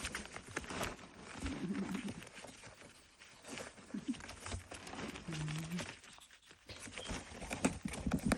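A ferret giggles with soft, breathy open-mouthed gasps and quick chuckling huffs.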